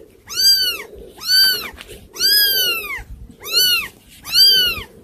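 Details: Hard-to-control kittens give five loud, high, arching meows at roughly one-second intervals, each swelling and fading, with a soft rustle underneath and little else in the room.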